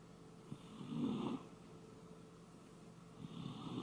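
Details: A sleeping Shiba Inu named Koume snores in a small quiet room: two drawn-out, rasping, throaty breaths a couple of seconds apart, the first one louder and fuller.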